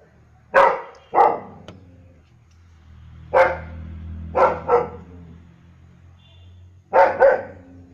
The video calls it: German shepherd dog barking